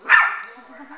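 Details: Chihuahua puppy giving a single short, sharp, high yip that fades within half a second, with a faint voice trailing after.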